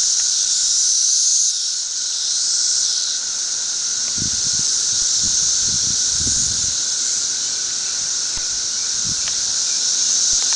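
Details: Periodical cicadas of a thirteen-year emergence swarm over a tree at densities reported from 10,000 to 1.5 million per acre. They make a dense, steady high-pitched hissing roar with a constant lower droning tone, plus a few low handling thumps.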